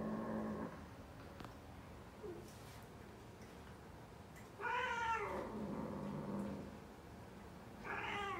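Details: British Shorthair cat; mating call; mating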